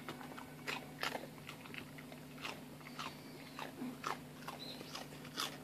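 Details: Fat Shiba Inu eagerly eating a rice cracker indoors, crisp crunching bites coming in irregular bursts about every half second to a second, with a steady low hum in the small room.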